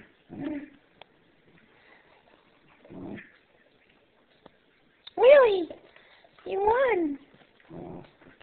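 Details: Two dogs, a three-month-old standard schnauzer and a Bichon, playing tug-of-war indoors; short scattered play growls and two louder yelping whines with rising and falling pitch, separated by quiet gaps.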